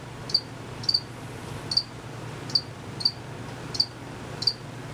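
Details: Crickets, not visible, give slower high chirps, about one every 0.7 seconds, some doubled, against a soft low hum.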